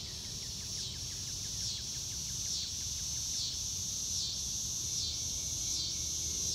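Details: Crickets on a clear blue-sky day, recorded in real time without music: a steady, high shimmering insect chorus pulsing rapidly throughout, with a faint series of short descending bird notes in the background.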